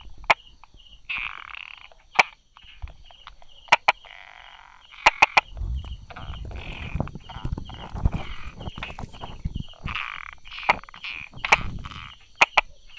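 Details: Brauer's tree frog hiding beside rock crevices and small grass, recorded 22 July 2016 at 10:44 in the morning, giving its 'da-da' call: sharp isolated clicks spaced a second or more apart over a steady dashed insect trill and low rustling.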